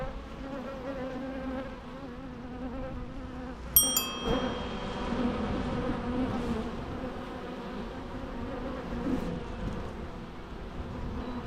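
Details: Natural bee sounds: a steady, dense droning hum with stacked low harmonics, holding even throughout, broken once near the four-second mark by a sharp click with brief high ringing tones.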